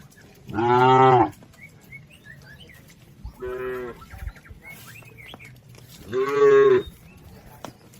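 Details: Healthy herd of village cows grazing on green pasture; three long, rich lowing moos spaced a few seconds apart, the middle one softer, with faint bird chirps in the background.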